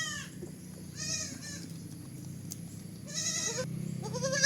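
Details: Young goat giving a few brief nasal bleats spaced apart, with a steady low hum and rustling underneath throughout.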